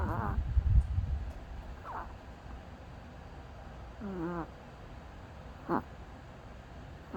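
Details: Sleeping pet dog snoring: soft low rumbling breath at the start, then short whistling nasal squeaks every couple of seconds, some bending downward in pitch, over a quiet room hum.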